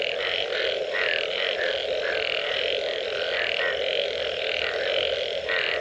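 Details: After rain, many frogs call together. A constant low hum runs beneath quick repeated croaks, some rising slightly, several clearly separate notes coming about every half second.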